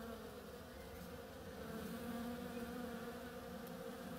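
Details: Bees at work on a flowering oriental creeper make an unbroken, even drone. The low hum swells a little in the middle as an insect passes closer.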